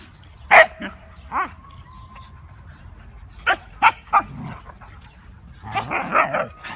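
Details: Siberian Huskies at play, several named dogs together; sharp scattered barks and yips with short whining notes, bursts spaced irregularly across the clip and a cluster of overlapping yelps near the end.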